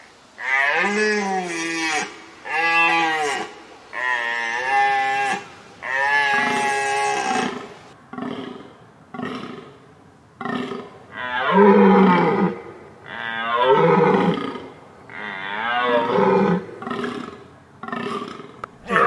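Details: Deer calling: drawn-out, moaning harmonic calls about a second long, each bending down in pitch at the end, then a run of shorter, rougher bursts spaced one to two seconds apart.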